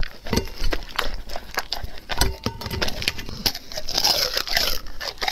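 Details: A dog eating raw food indoors, with sharp, irregular crunches and bites at uneven intervals, mixed with soft wet chewing and crinkling.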